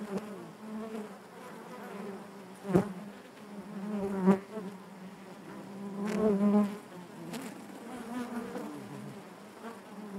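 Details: Bees humming inside their hive, a steady low droning chorus with wavering overtones; several brief loud buzzes and knocks punctuate it as single bees move close, the swell strongest midway through.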